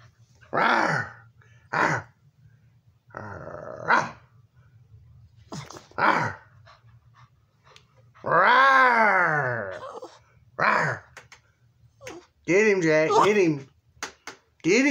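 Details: Elderly Boston terrier, about sixteen years old and nearly blind, barking and growling while playing indoors with a toy hamburger; short harsh barks and a long whining, wavering growl, with a woman talking encouragingly between sounds.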